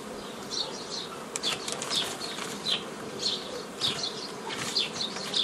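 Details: Bees from a forager swarm buzz constantly while being split into nucleus colonies by the old book method on 15 May 2018. High bird chirps repeat roughly every half second to a second over the hum, with occasional clicks.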